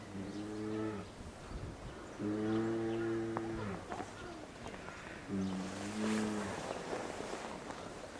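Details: Captive two-year-old female polar bear at Maruyama Zoo, Sapporo, Hokkaido, Japan, recorded 19 January 2017, begging her 22-year-old mother to nurse and calling on and on. Three drawn-out, low, moaning calls, each about a second long, with harmonic overtones.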